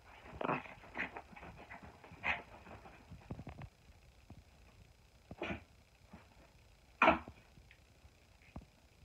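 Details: A silver poodle in play fighting gives rough, growly bursts, several close together in the first seconds, then single louder outbursts near five and seven seconds, with a quiet indoor background between them.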